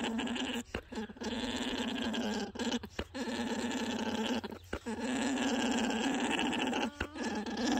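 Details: A male alpaca orgles while courting the females lined up before him, a steady guttural gurgling drone; it is the loudest, most intense and most continuous alpaca sound, used to attract females.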